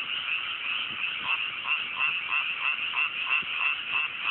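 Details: Frogs calling together at night in newly planted mountain rice paddies, Japan, clear cool weather; loud continuous chorus of rapid, regular croaks pulsing about three times a second with no other sounds.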